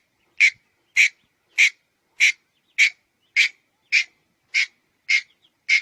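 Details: Ten evenly spaced rasping chucks from a red-headed squirrel, each brief and harsh, repeating roughly every 0.6 seconds in near silence.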